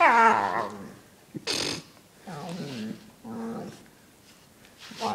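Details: Dog making funny, monster-like noises while being brushed: a long, wavering, harmonic moan opens, followed by several shorter growling, grumbling bursts with pauses between them.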